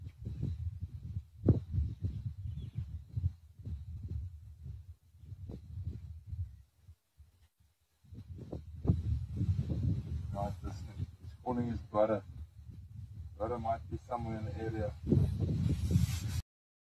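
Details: Sabi Sands, Kruger National Park, 5 November 2023: a male lion of the Plains Camp pride roars in deep, throbbing bursts to contact his brother.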